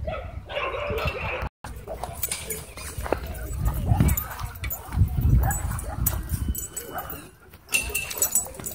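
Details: Doberman and Belgian Malinois fighting at a dog park, one dog receiving an e-collar correction: rough low growls and snarling bursts, loudest around four to five and a half seconds, over a noisy outdoor background with brief high clatter.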